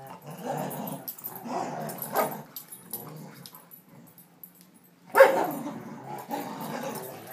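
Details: Playful rumbling growls from a 1.5-year-old Rottweiler and a 5-year-old Rhodesian ridgeback, chow and vizsla mix at tug of war, recorded July 18, 2012; rough bursts swell and fade, with a loud sharp snarl near the end.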